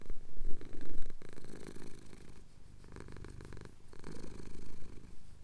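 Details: Contented purr from a male cat whose chin is being scratched, recorded on a Tascam DR-07X, Cotswold hills; strong low rumble, louder at the start, alternating inhaled and exhaled phases about two per second.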